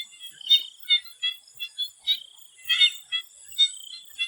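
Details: Thai swamp frogs calling before sunset: loud, separate pulsed croaks every half second or so, one louder rattling burst near the middle, all set against a steady high-pitched insect hum.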